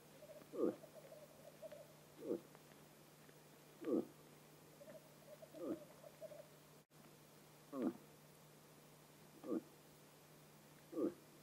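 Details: A bull moose (Alces alces) in the autumn rut in Vest-Telemark, Norway, gives short, hollow courtship grunts repeated every second or two.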